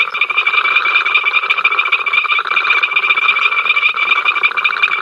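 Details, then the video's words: Dense frog chorus at Ol Donyo on the africamLIVE camera, 05 October 2023, a constant incessant din: quick rattling pulses stacked over a bright sustained trill, loudness flickering rapidly but never dropping out. "We are Froggies, hear us croak!"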